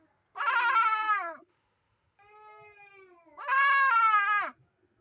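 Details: Goat with an abnormal voice: two long, strained, wavering bleats, harsh and cat-like, with a quieter thin drawn-out cry between them.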